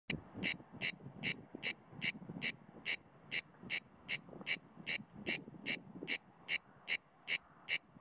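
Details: A male grey cicada (Cicada orni) sits low on a pine trunk near Sueca, Spain, in September 2017; it sings in short, harsh, buzzy pulses about two to three a second, at reduced volume because it was alert to the observer.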